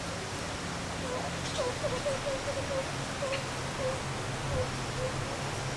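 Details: Meerkats kept at Zoo Rostock in Germany, July 2014, at play and rest, recorded with a Sony HDR-CX550: a quick string of short, clear peeps at a steady mid pitch, repeated several times a second, over a low background hum.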